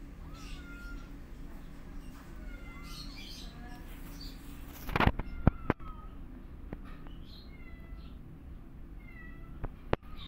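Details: Kittens meowing loudly as their mother cat teaches them to walk: high, thin, slightly bending mews repeated in quick irregular succession, with a burst of bumping and clatter midway.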